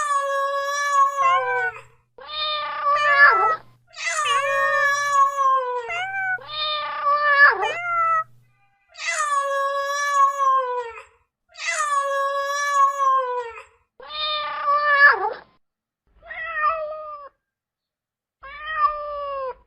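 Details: Domestic cat giving a long series of drawn-out, wavering meows, each lasting one to two seconds with short gaps, some sliding upward at the end; a faint low hum under several calls.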